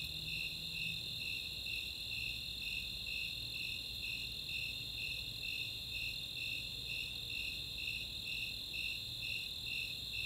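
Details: Summer night chorus of Snowy Tree Crickets and Four-spotted Tree Crickets in open space at Chautauqua, Boulder, Colorado: steady high pulsing chirps about twice per second over a continuous shrill trill, with low background hum.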